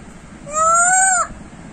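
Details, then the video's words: Monkey named Bubu waiting for food gives a single smooth, clear harmonic coo lasting under a second, gently rising then dipping at the end, over a low rumbling background. "monkey bubu waiting for food | bubu has beautiful voice"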